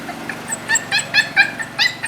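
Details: Puppy kept in a cage, either Annie, who hates confinement, or her unbothered sister Chichay, letting out a brief burst of short, high, squeaky yips in quick succession.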